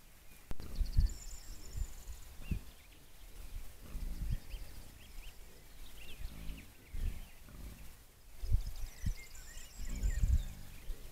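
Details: Wild boar grunting in deep, rough bursts that come roughly every one and a half seconds, with birdsong chirping over the top.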